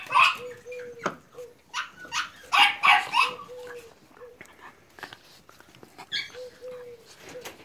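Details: American Staffordshire terrier and Staffordshire bull terrier puppies at Terierkowo, 30 July 2017, give short, high, yappy barks in quick bursts, about three a second, mixed with a woman's voice calling their names in Polish and faint whimpers.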